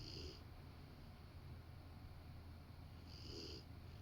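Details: A sleeping Rottweiler curled up on a sofa beside its owner. Two gentle, breathy snores come about three seconds apart, with a faint low rumble on each breath and a steady low background hum.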